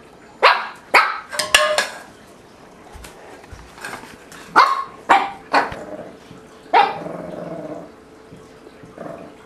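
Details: Mabel, a three-month-old Shih Tzu puppy, barks at a tuna can in a kitchen play pen, Bozeman, Montana, April 2007; sharp yappy barks in quick bursts, several close together, then a trailing growly bark.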